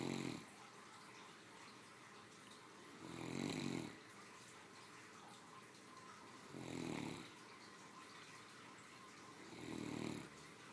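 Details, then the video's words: Female Great Dane aged three dozing after lunch, giving four rough, rumbling snores at an even pace of about one every three seconds, the middle ones loudest, in a quiet setting. "My 3 yr old snoring after a hardy lunch"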